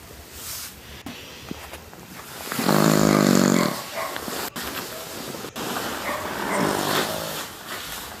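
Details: A pet dog snoring loudly while asleep: one long, loud, raspy snore with a buzzy, layered tone rises in the middle, framed by softer breathing and a few sharp clicks.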